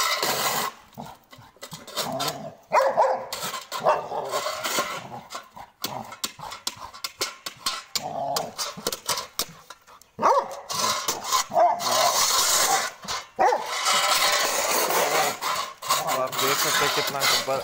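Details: Angry Labrador Retriever Gabbar keeps barking with yips and whimpers mixed in, rapid irregular barks repeated several times a second, getting louder and denser toward the end, with background noise.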